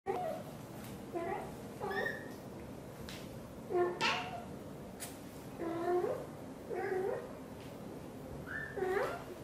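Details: British Shorthair mother cat Xaxa, blue golden, talks nonstop while grooming her tiny kitten Piano indoors: soft short chirping trills and murmurs repeated every second or two, over a steady background hiss.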